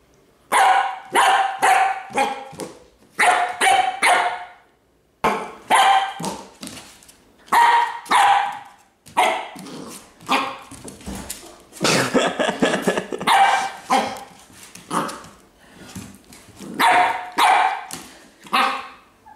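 A Pembroke Welsh Corgi barks in quick bursts of sharp, mid-pitched barks with brief pauses between them.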